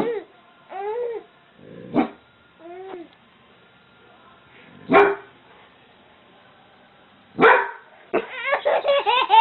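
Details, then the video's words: A dog barks in three sharp, loud bursts, spaced about three seconds apart. Between the barks a baby laughs with squealing, rising giggles, and the baby's laughter grows rapid toward the end. "Baby Laughs At Barking Dog"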